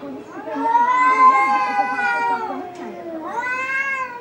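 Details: Two angry domestic cats fighting at home: long, wavering, strongly harmonic yowls sustained for over two seconds, a short break, then a fresh rising-falling yowl, with lower growly rumbles beneath.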